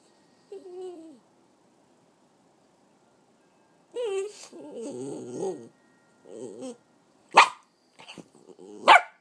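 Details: A 3-year-old female Italian Greyhound–Chihuahua mix makes wavering, whining moans, then a few sharp yips.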